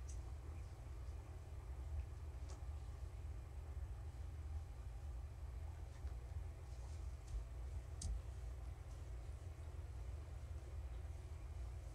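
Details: Low, steady hum fills the room, with a few faint scattered clicks and no animal voice.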